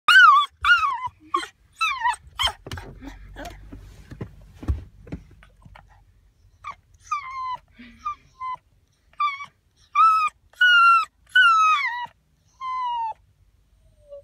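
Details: Baby puppy crying: a run of high, thin whimpers and yelps, each note arching down, some drawn out and quavering, in uneven bursts roughly every second, with a soft rustle midway.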